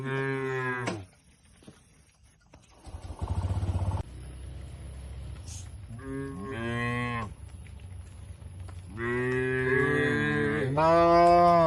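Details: Cattle in a farm shed in the countryside, mooing repeatedly: a moo at the start, a short rhythmic rumbling burst, then a pair of rising moos and a long, strong moo near the end.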